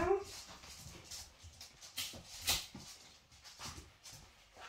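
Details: Five-week-old Labrador puppies play while their cream Labrador mother Kyla corrects their fighting; a short rising whine opens the recording, followed by soft clicks, pawing and scuffling sounds.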